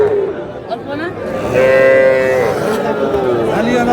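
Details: Young cattle, small bull and heifer calves, at a livestock market with a Dhaka farmer buying, 21 February 2026; one drawn-out, level moo in the middle, surrounded by loud crowd chatter and bargaining voices.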